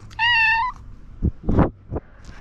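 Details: Hungry black house cat meows timidly at its owner: a single clear, level meow lasting about half a second, followed by several short thumps and rustling knocks.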